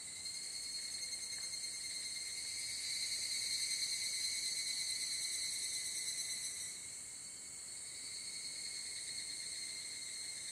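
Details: Higurashi, the evening cicada, singing at dusk in summer in Japan, a cool mountain setting; a continuous high ringing trill with steady bands, pulsing rapidly, swelling near the middle and shifting tone after about seven seconds.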